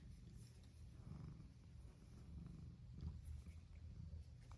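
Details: Domestic cat purring outdoors in a yard while following and keeping company with a person on a nice day; steady low rumbling purr throughout, slightly louder around the middle, with faint outdoor background and no speech.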